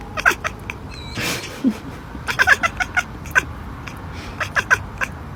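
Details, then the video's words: Cat making a rapid chattering "ekekekk" sound: a series of short, sharp clicks and chirps repeated in uneven bursts, with a brief breathy noise partway through. "WHY Do Cats Go "EKEKEKK"?"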